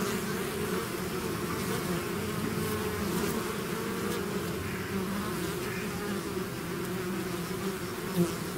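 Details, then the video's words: Steady roar of a honey-bee-type swarm out of its hive, many wings droning in layered low tones without pause, occasional sharper passes of single bees, a soft click near the end. "bees therapy swarm natural buzzing sound"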